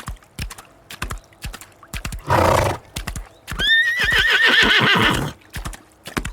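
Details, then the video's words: Horse whinnying amid steady clip-clop of hooves: a harsh noisy snort, then a long high neigh that wavers and trembles before fading, with hoof beats continuing throughout. "Som do cavalo relinchando"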